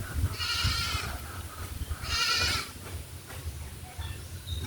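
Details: Domestic goats on a farm during deworming with an oral suspension dewormer; two loud, quavering, wavering bleats about a second and a half apart, over a low rumbling background.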